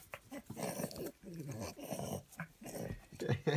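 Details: Indoors, a French Bulldog being tickled gives playful low growling grumbles in uneven bursts, with a person talking and laughing close by.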